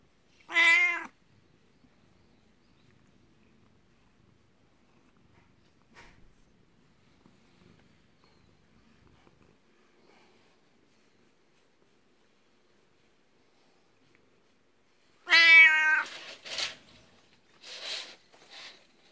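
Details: Black cat Beni-chan, aged 12, rubs at a person's feet out of jealousy toward a 19-year-old long-lived cat; a short sharp meow, a long quiet gap, then a louder meow followed by faint rustling.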